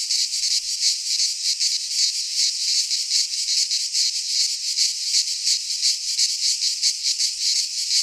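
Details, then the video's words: In a Greek pine forest at midsummer, many cicadas sing together: a piercing, rasping drone beating in quick, slightly uneven pulses near three per second, steady throughout. "Cicadas singing in midsummer - Nature sounds from the Greek fauna - Sounds of cicadas"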